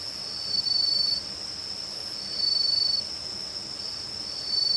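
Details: On an autumn night around a house in Uchiko, Ehime, Japan, crickets, bell crickets, pine crickets and kutsuwamushi katydids sing a steady high chorus that swells every couple of seconds, with a Northern Boobook hooting "ho-ho" rhythmically.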